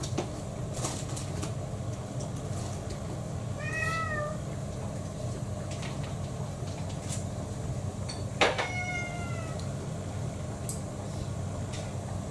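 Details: Pet mixed-breed cats at home during mealtime, one of six, April 2024. Two separate clear meows, the first descending, the second longer and falling after a sharp knock. Clicking and tapping noises, likely from eating, run throughout.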